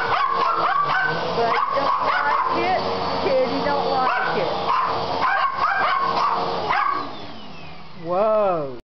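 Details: Indoor poodles upset by a vacuum cleaner, filmed on a Kodak C330 digital camera: rapid sharp barks and yips over the steady roar of the vacuum, a person speaking briefly, then a wavering whine near the end.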